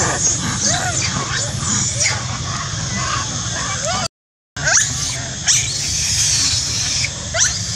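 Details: Monkey screaming and shouting loudly, a dense run of high, wavering squeals and shrieks repeated through most of the stretch, broken by a brief silent gap, over steady low background noise.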